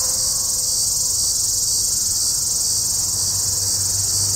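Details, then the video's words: Near Walsenburg, Colorado, on an overcast July 2, 2012 afternoon, a Hadoa duryi cicada sings unseen in juniper trees: an intense, constant high hiss with a slight pulsing texture, over a faint low hum. "Hadoa duryi (formerly Tibicen duryi) cicada"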